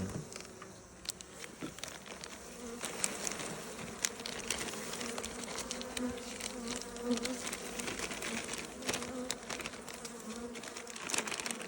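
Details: Honey bee colony, one of the strongest hives, opened for inspection and given solid feed on 30 January 2026 in winter; steady droning hum of many bees with scattered clicks and handling rustles.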